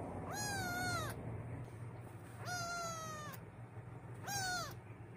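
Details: Adopted kitten on its first day in a new home, afraid and crying: three drawn-out, slightly falling meows, each under a second long and spaced about two seconds apart, over a low steady hum.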